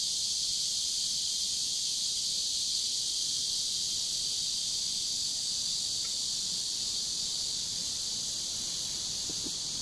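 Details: Chorus of cicadas beside a river on a warm summer day, 23 July 2015, a continuous shrill buzz sustained evenly over the whole stretch, with a few faint low clicks in the background.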